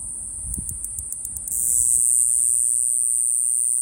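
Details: Iwasaki grass cicada (Mogannia minuta) singing in Okinawa: a run of short, rapid, very high-pitched pulses that breaks after about a second and a half into a steady, unbroken thin buzz over faint low rumble.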